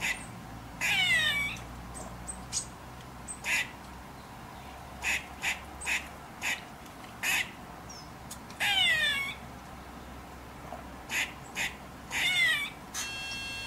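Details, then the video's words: A female Eastern gray squirrel gives harsh, nasal alarm calls in bursts from a radio tower near her drey, protesting a domestic cat nearby. "GREY SQUIRREL ALARM CALL"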